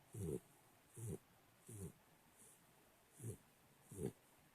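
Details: Three-month-old American Pit Bull Terrier puppy, adopted at eight weeks, snoring indoors: six low, rumbling snores in under five seconds, each a short rasping burst roughly once a second, with quiet breathing gaps between.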